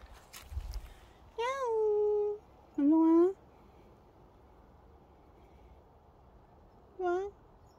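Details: Affectionate dog-like house cat meowing three times indoors: a long drawn-out meow, a shorter rising one soon after, then a brief third meow a few seconds later, with quiet room background and a soft thump at the start.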